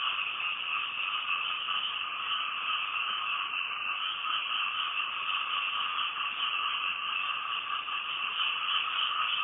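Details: Frogs calling at night, recorded from a house in Thailand: a dense, unbroken trilling chorus of many callers, steady in pitch and loudness throughout, with no pauses.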